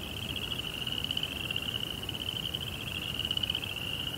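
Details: At night in a Japanese Zen garden, crickets keep up a bright, evenly pulsed high trill with no pauses, backed by a soft low hiss.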